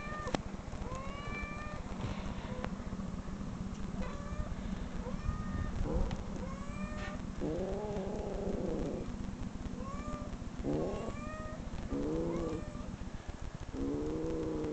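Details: Replayed cat meows, many short rising mews mixed with dense, rough low harmonic bursts resembling growls, heard against a continuous low rumble.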